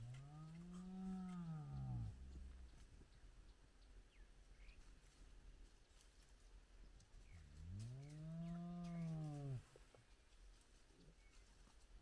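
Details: Spotted hyena clan gathered at the den with lively cubs at sunrise: two deep arched moaning calls about seven seconds apart, each two seconds long rising then falling, faint birdsong between.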